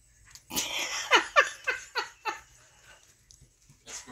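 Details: Sherman, a pet dog in a household with the mini dachshund Jethro, cries and begs for his nightly treats indoors after bath time: a burst of about seven high, sharply falling whining yelps in quick succession, then a pause and one more cry.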